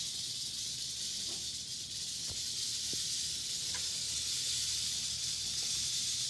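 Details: Eastern diamondback rattlesnake shaking its rattle in a sustained, unbroken high-pitched buzz that keeps an even loudness, with scattered soft ticks and a low background hum.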